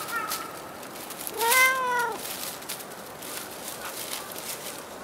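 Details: Single cat at Dockyard Garden, 28 August 2016 around 06:10 in the morning, uttering one loud, drawn-out meow that bends slightly downward, with soft murmuring background noise.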